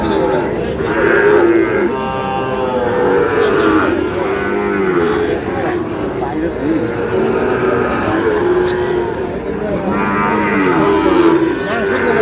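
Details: Sahiwal bull calf bought by a Noakhali farmer, 27 July: drawn-out harmonic lowing rises near the start and again around ten seconds, set against a constant murmur of voices and crowd chatter.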